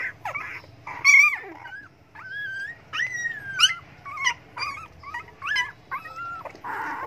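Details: Several hungry pet dogs beg for food with a steady run of tonal, nasal whines, each pitched whimper bending upward or dipping, overlapping one another almost without pause.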